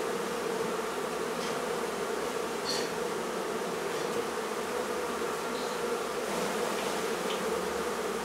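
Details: Colony of honey bees during removal of their hive from a barn in La Feria, Texas: an even, continuous droning hum throughout, with faint scattered taps and clicks.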